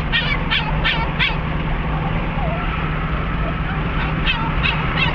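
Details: Cricket, a pet dog excited on the way to Sarah Park Dog Park in Lake Havasu City, gives a quick burst of four high yipping whines, then a few more near the end, over a steady car engine rumble.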